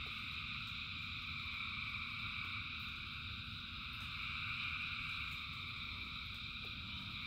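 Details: Thousands of frogs calling together in rain, a dense, unbroken chorus of layered high trilling bands with little rise or fall, over a steady low rumble of falling rain.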